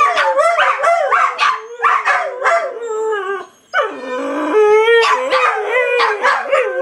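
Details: Dogs giving choppy, rhythmic yelping howls, then a long sliding howl, a brief lull, and a renewed chorus of overlapping wavering howls from several animals.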